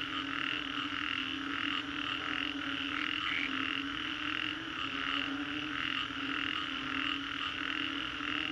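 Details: Frogs calling en masse after a storm at the Green Corridor, Singapore. The packed, pulsing croaks blend into a continuous chorus, with a few slightly louder individual calls standing out above a low hum.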